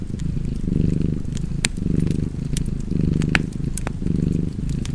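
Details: Low, vibrating purr of a pet cat, four or five breath cycles of swelling and easing rumble, accompanied by crisp crackling and popping from a fireplace.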